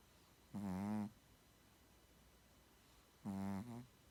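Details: A Shih Tzu asleep and snoring, two throaty buzzing snores about three seconds apart, the second ending in a brief extra snort, against near silence.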